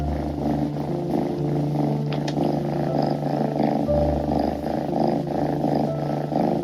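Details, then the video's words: Two kittens grooming each other on an indoor cat tower purr steadily, a continuous low rumbling hum with a soft pulsing texture throughout, with no other clear sounds. "아기고양이가 이상한 소리를 계속 내요. 이것이 골골송인가요?"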